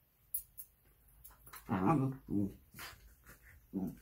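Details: A Shiba Inu, recovered and healthy a couple of weeks after stomach surgery, gives short, wavering whining howls, with possible human voices in the background.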